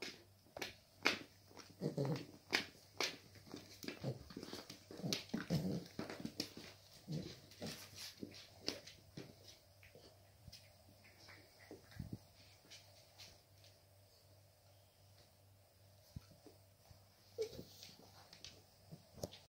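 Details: Cavalier King Charles Spaniel puppies playing with their mother indoors: short low growls and whimpers in the first seconds, with scuffling clicks and thumps of movement throughout, becoming quieter toward the end.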